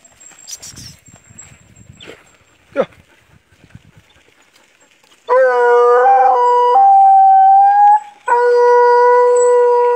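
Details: Dog praised as good at hunting paca, giving long sustained howls in the second half, steady and harmonic with a slight upward bend, two drawn-out cries separated by a short pause; quieter rustling and a sharp brief yelp earlier.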